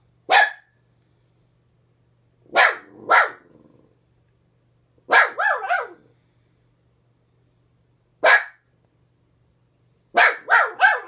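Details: Pet dog Ginger barking at a neighbor seen out the window: five short bursts of sharp barks, single or in quick pairs and triples, spaced a few seconds apart, with a faint low hum between them.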